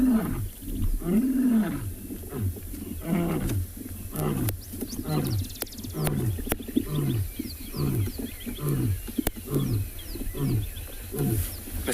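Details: Distant lions at sunset in the Tswalu Kalahari Reserve, South Africa, give a series of deep, falling grunts, repeated in a steady rhythm under a second apart.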